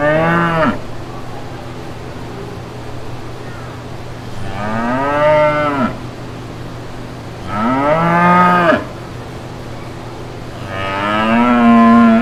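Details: Real brown cows with their calves in green pastures, mooing: four long, deep, harmonic moos roughly every three to four seconds, some rising then falling at the end, with a steady low hum between calls.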